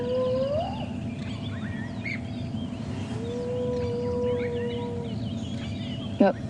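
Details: Spotted hyena female (June) at sunrise gives a very high-pitched rising whoop, then a long drawn-out hooting note, a contact call; cubs react, amid a clan dispute.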